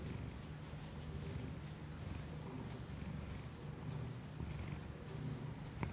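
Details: Domestic cat purring close to an external microphone plugged into an iPhone, indoors; a steady low rumbling pulse runs unbroken throughout, with faint soft clicks and a brief sharp tick near the end.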